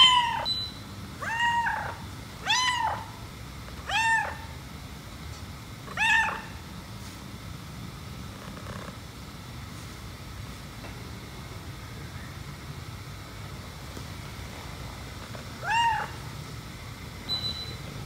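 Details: Jealous white cat, its owner stroking a black cat, utters a quick run of five nasal meows about every second and a half, then a long quiet stretch of low hum before one more meow and a faint final call.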